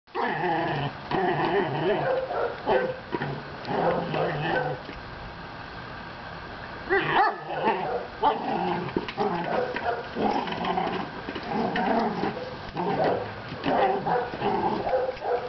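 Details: Pet dog playing with and herding a Jolly Egg ball, a toy it is obsessed with and plays with for hours. Drawn-out, tonal growling and whining in long rough bursts, with a quieter gap around the middle. A person speaks just afterwards.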